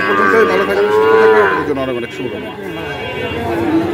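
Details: At the Ambari cattle market in Dinajpur on 18 September 2023, a Sahiwal bull or calf gives one sustained, level moo of about a second, followed by quieter lowing and background voices.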